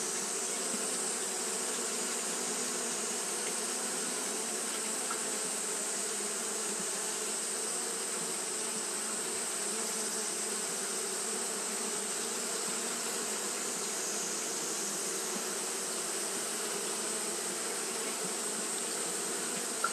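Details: Steady collective hum of Japanese honey bees fanning through a hot day: an even, unchanging drone layered with a bright airy hiss, holding level for the full stretch.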